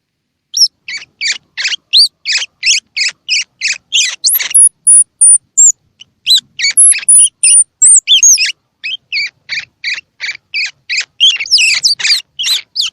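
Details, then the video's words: Young squirrel calls used to prompt feeding in babies whose eyes have or have not opened: rapid sharp chirps with upswept notes, a stretch of very high thin whistles, then dense scratchy chittering. "Tiếng Kêu Của Sóc Baby Kích Thích Sóc Ăn | Sound of Baby Squirrel"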